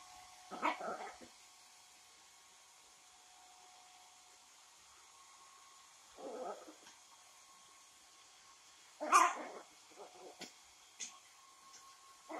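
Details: A female Yorkshire Terrier, fighting the hair dryer after her bath as she always does, gives sharp, yappy barks and short growls at irregular intervals over the steady mechanical whine of the dryer.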